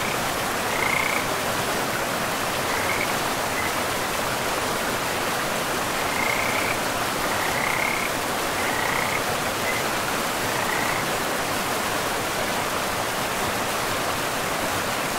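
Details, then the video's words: Frogs along a forest river among mossy ground and trees. Brief trilled croaks come in scattered bursts during the first eleven seconds, then fade, leaving only the steady roar of flowing water. "River and Frogs sleep sounds"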